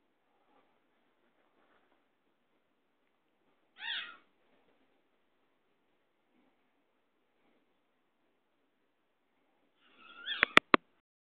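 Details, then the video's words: Domestic mother cat with her kitten indoors: two short, harmonic meows about six seconds apart, the second followed by a few sharp clicks, with a quiet room otherwise. "Cat 2"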